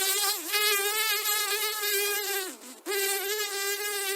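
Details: House fly buzzing in a steady, nasal drone with rich overtones, briefly dipping and fading near the middle before resuming at full strength.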